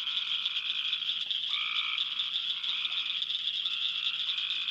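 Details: Cope's gray tree frogs calling in a summer chorus of late June to mid July: a few short fluttering trills, each in a low and a higher tone, rise over a dense, steady high clacking of cricket frogs.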